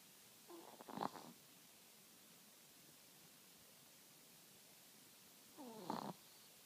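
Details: Two clear wheezing snores from a sleeping Chihuahua, one near the start and one about five seconds later, each rising into a brief whistly, nasal peak before fading, separated by near silence.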